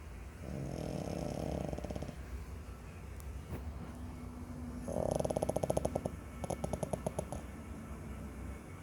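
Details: Five-month-old French Bulldog puppy asleep and snoring: two raspy, rattling snores, the second breaking into a fast fluttering rattle, over low background hum.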